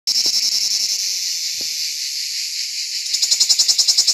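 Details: Cicada Lyristes plebejus singing on an olive tree on an organic farm: a loud, dense, high buzzing drone, pulsing steadily at first, smoothing out, then breaking into distinct rapid throbs toward the end.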